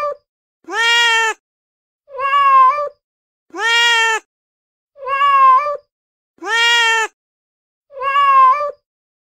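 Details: Meows from a male cat in heat alternate between long, loud, bright calls and shorter, lower, flatter ones, six in total, spaced roughly every one and a half seconds.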